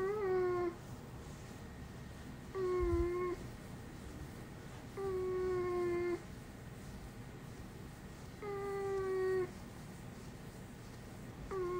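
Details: Dog that has never barked since it was small and gives only human-like cries: level, drawn-out tonal cries, each about a second long, five in a row every two to three seconds, in a quiet room.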